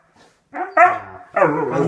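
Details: A husky grumbles in drawn-out, wavering howl-like moans, complaining at its owners for leaving, which it does daily even after a ten-minute absence, though it lives with another dog and a cat.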